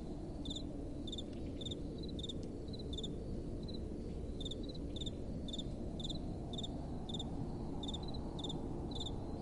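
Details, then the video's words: Crickets at night with a gentle wind blowing: short high pulsed chirps about twice a second, at two slightly different pitches as if from two callers, over a steady low rushing wind. "Relaxing Night Time Sounds | Crickets & Soft Wind"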